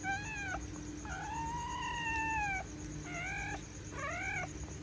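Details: Female pointer dog giving birth to nine puppies during a home delivery; four clear tonal whines, the second a long arched cry of over a second, others short and bowed, over a steady low hum and faint high tone.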